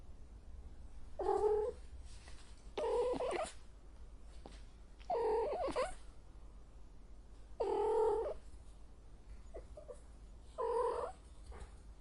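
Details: Cat in heat yowling repeatedly: five strained, noisy wails of about a second each, spaced a few seconds apart, with faint room noise between calls.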